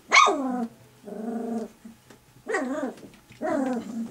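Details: Puppies three weeks old compete for milk when their mother approaches. Four drawn-out, whining cries are heard: a sharp falling yelp, a level moaning whine, then two arched whines rising and falling, separated by short pauses.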